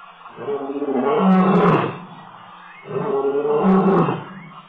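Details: Roaring male lion at Tembe Elephant Park on 26 October 2013, giving two powerful drawn-out roars that rise and fall, with a short gap between them.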